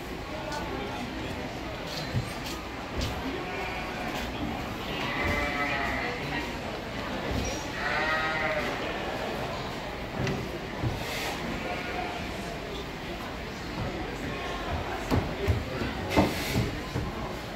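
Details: Pygmy goats at a 4-H showmanship competition, Big Fresno Fair 2018: a few wavering, quavering bleats rise around the middle, nearly buried under constant crowd chatter, voices and hall noise.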